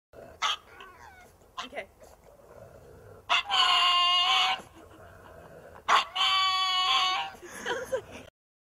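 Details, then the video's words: Dog giving drawn-out yowling barks said to sound like "Batman": two long, harmonic, wavering calls about a second each, with shorter sharp yips and clicks between them. "Hund ruft Batman"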